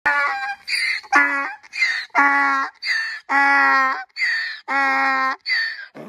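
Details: Geronimo, a 15-year-old pet donkey, brays while running to his mother wanting a treat: loud rhythmic see-saw heehaw, alternating rich harsh honks and higher wheezy intakes, about eight phrases in six seconds.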